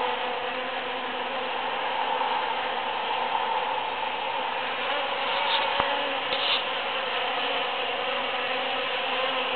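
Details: Busy bees work through huge cactus flowers after the Super-Full Moon of June 22, 2013. Their continuous, thick buzzing stays level throughout, with one sharp click near the middle.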